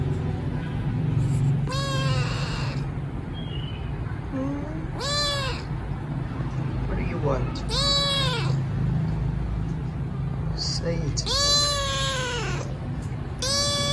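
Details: A hungry rescued kitten gives loud, high, arching meows every few seconds over a low background hum while being given food.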